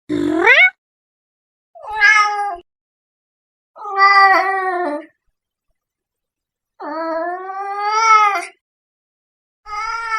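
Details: House cat calling in loud, strained meows, some wavering and rising, one long drawn-out wail climbing in pitch before breaking off; five calls spaced a second or two apart.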